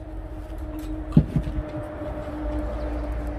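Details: Low rumbling engine hum with steady droning tones and a couple of brief knocks midway, like a passing vehicle or train, with no animal voice present.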